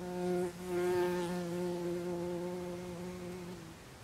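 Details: A buff-tailed bumblebee (Bombus terrestris) at its nest in Zamudio, Bizkaia, Spain, on 24 April 2021, gives a steady, low, droning buzz rich in overtones, faltering briefly near the start, holding about three seconds, then fading.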